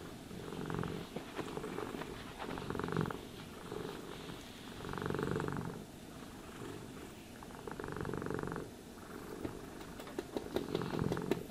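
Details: House cat purring contentedly during brushing and grooming; a low, rapidly pulsing purr swells in bursts about every two to three seconds, each rise matching a brush stroke, with soft bristle scratching between.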